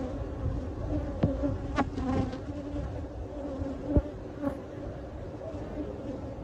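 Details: A live honey bee colony, nested behind a cabinet and being captured for relocation, hums in a thick, even low buzz, punctuated by several sharp taps and clicks from the removal work.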